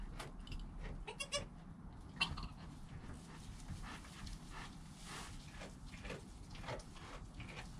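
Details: Joel, a goat kid in the first hour of life, recorded by GoPro with his mother Penny close by; several brief, thin bleats come early on, then only soft rustling and background hum.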